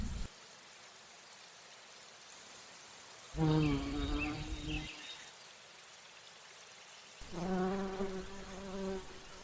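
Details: Bumblebee visiting flowers for nectar in flight; two loud bursts of low, droning buzz about four seconds apart, each lasting one to two seconds, over a faint steady background hum.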